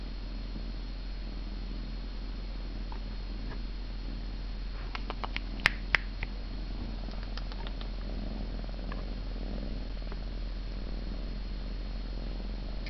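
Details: Siamese cat purring: a continuous low, even rumble filling the whole recording, with brief clicking taps around the middle.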